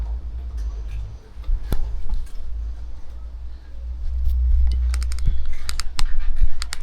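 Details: Low hum runs under quick tapping and jangling clicks, much like keys or a keyboard, with faint speech.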